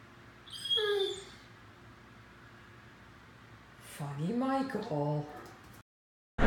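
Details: A 9-month-old male Great Dane, playing with his ball, howls at his own reflection in a mirror: a short falling whine, then a brief, low, wavering howl.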